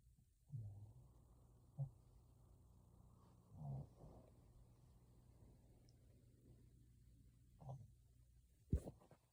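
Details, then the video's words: Sleeping pet dog giving a long, breathy, drawn-out snore lasting several seconds indoors, broken by a few short snorts and a sharp click near the end. "My dog is scaring me while he’s snoring"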